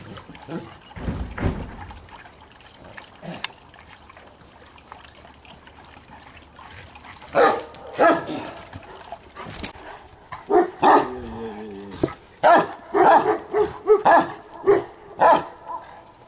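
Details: Landseer dog that stays quiet at first, then barks repeatedly, with a drawn-out whining tone in the middle and a steady series of barks to the end.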